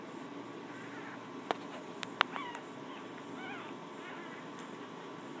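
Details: Litter of 2-day-old female English Bulldog puppies (Canis lupus familiaris) in Wichita, Kansas, healthy and gaining weight, give faint, high squeaky rising-and-falling cries, likely from being out of their box, with sharp handling clicks.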